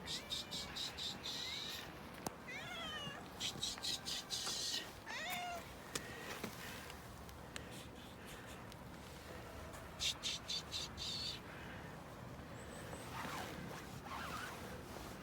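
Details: Friendly cat meowing in short bursts of high, bright meows with quick up-and-down sweeps, grouped near the start and again later, over steady low background noise.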